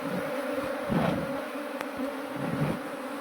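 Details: Honeybees from a runaway swarm being shifted into a modern hive while the keeper looks for the queen; steady droning buzz with soft handling knocks and a sharp click midway.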